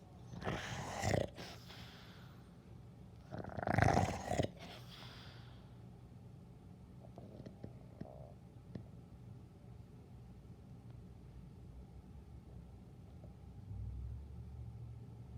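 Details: Sleeping dog snoring: two rough, rasping breaths about two and a half seconds apart near the start, then a long quiet stretch with only a low steady hum and a few faint clicks.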